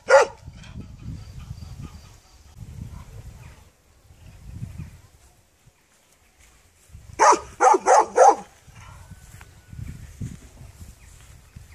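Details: One dog bark opens, then mostly low rumbling noise, before a quick burst of four sharp barks near the middle and quiet afterward.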